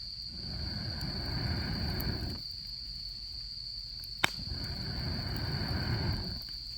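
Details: Insects of autumn beside a crackling campfire on a camping trip, a constant shrill trill holding one pitch throughout, broken by a loud snap near the end and two broad waves of low roaring noise.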